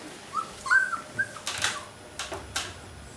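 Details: Alaskan Malamute puppies outside the whelping box, 2012 litter: several short, high whining squeals that rise and fall, clustered in the first second and a half, followed by soft rustling and scratching noises.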